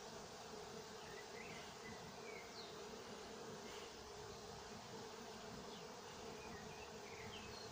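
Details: Honey bees of a working apiary at Nowa Aleksandria in summer 2021, a dense steady hum with a strong band near 500, continuous throughout, faint high chirps of other birds scattered above.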